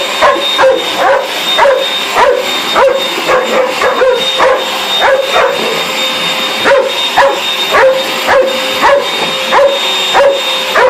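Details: Dog agitated by a vacuum cleaner, yapping in a fast, fairly irregular stream of short shrill barks, close to two per second, with the machine's continuous whirring tone underneath.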